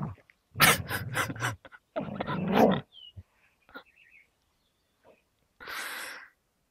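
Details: Two dogs, an American Staffordshire Terrier named Gerundio and a young Beagle named Baloo, locked in a tug standoff, teeth in a fabric toy. Harsh, rasping growls come in loud bursts, then quieter snorts, clicks and a final breathy hiss.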